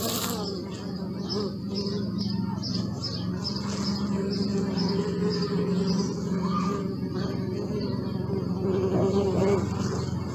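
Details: Steady buzzing of bees, a low drone that rises and falls gently, with a run of quick high bird chirps in the background during the first half.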